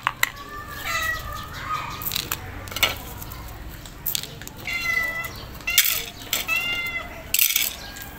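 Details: A hungry calico stray cat meows repeatedly at its feeder, each drawn-out, wavering cry rising then falling, in short insistent bursts asking for food.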